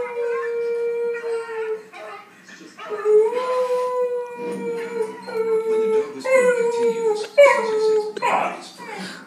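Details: Pet dog baying indoors, stirred by a beagle baying on television during a dog-training show: long, steady, tonal howls with rich harmonics, held several seconds each and slightly wavering, broken by short gaps, while a woman talks fondly to the dog.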